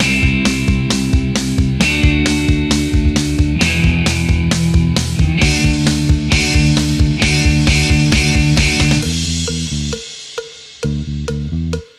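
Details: Loud rock music with a driving steady beat and guitar plays throughout, thinning out near the end, with no animal sound heard.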